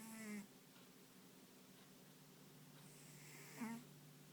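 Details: Pet dog Ponta snores in deep sleep, its paws and ears occasionally twitching: a buzzy, grating snore at the start and another about three seconds later. Quiet breathing lies between them, and a soft steady hum sits in the background.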